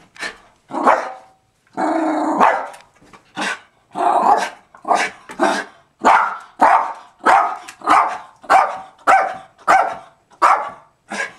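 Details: Zoey, a female pet dog, lets out a long string of loud barks, some drawn out and rougher near the start, then settles into quick, even barks spaced about half a second apart.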